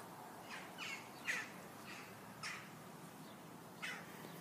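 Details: Meerkats inside their enclosure at the Welsh Mountain Zoo: faint, short, harsh chirping notes, about five spaced irregularly over four seconds, over a quiet hiss of background noise.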